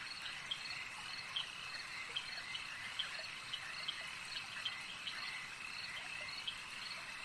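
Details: Frogs at a lake form a thick, steady high drone of overlapping calls, while sharp clicking notes recur at uneven intervals about once per second throughout.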